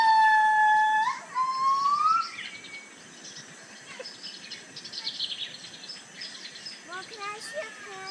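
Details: Gabriella's crested gibbons at San Diego Zoo howl, a clear, pure-toned howl that holds steady, then swoops upward in a rising glide.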